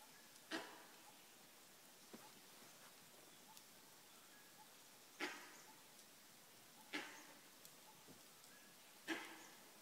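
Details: On an early March morning in Kanha National Park, a langur gives short, harsh barking alarm calls spaced a few seconds apart, warning of a nearby predator.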